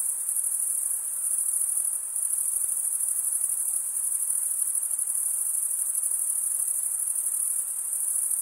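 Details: Crickets keep up a constant, very high trilling chorus, finely pulsed and unbroken for the full stretch, with small dips in loudness and a soft low hiss underneath.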